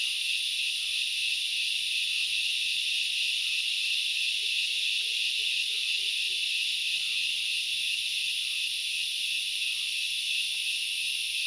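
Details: At Knuckles Reserve in Sri Lanka's Central Highlands, grasshoppers fill the forest with a steady, piercing buzz of overlapping high tones; a faint short wavering lower note appears midway, and the chorus never pauses.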